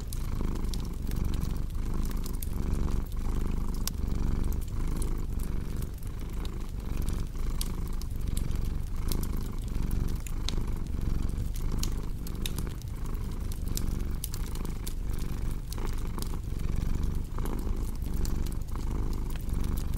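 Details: Low, steady cat purr set against a crackling hearth, meant for relaxation and insomnia relief; the throaty vibration rises and falls rhythmically with each breath while frequent dry pops from the fire sprinkle over it.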